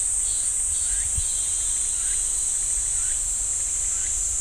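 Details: Pine forest cicadas at Ssanggyesa temple, Jirisan National Park, produce a steady high-pitched electric-sounding drone, while faint short falling chirps recur about every second beneath it over a low rumble.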